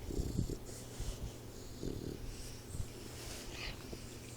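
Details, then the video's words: Troy, a four-month-old Boxer puppy asleep indoors, snoring in soft, low rumbling bursts roughly every second at the start, then quieter breathing with faint hiss in the background. "Snoring Boxer Puppy"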